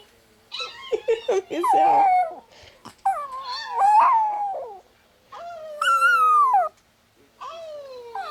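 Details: Chihuahua indoors howling along to dog howling videos on a phone; short wavering yelping howls and higher drawn-out cries in separate bursts, with a person's encouraging voice in between.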